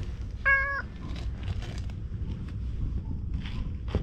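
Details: A stray cat at a seaside fishing spot, recorded with a GoPro action camera, gives one short, bright meow, followed by low-frequency wind-like rumble and faint scattered clicks.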